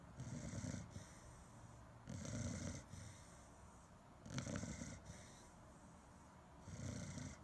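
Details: Steady snoring from a Chow Chow dog, four rough, low snorts spaced about every two seconds, each rising and fading smoothly.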